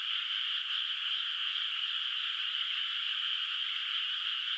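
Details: Many frogs calling at night across a moonlit rural rice field whose water has no rice yet; the distant sound merges into one constant, shimmering high chorus without breaks.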